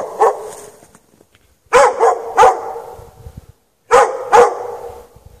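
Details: Dog chained out in the snow at night with no shelter for several hours, on 3 March 2014 between 8 and 11:30 PM, barking in sharp bursts: one bark, a pause, then paired barks twice, trailing off into a faint echo.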